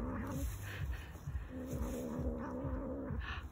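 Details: Domestic cat growling, likened to a motorcycle: low, rumbling drone with a steady tonal band, pulsing about twice a second, with faint electronic whine in the background.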